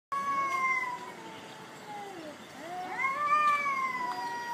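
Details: Black cat fighting on a jetty at a cat island: long, drawn-out wavering wails that slide downward, pause briefly, then rise into a second sustained howl, with a man speaking afterward.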